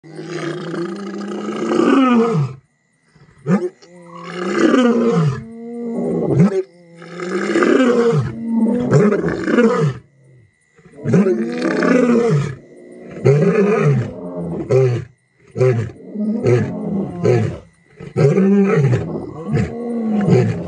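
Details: A lion's roars, deep and throaty, rise and fall and repeat every two to three seconds; a lion's roar can reach 114 decibels at about one metre and carry up to five miles.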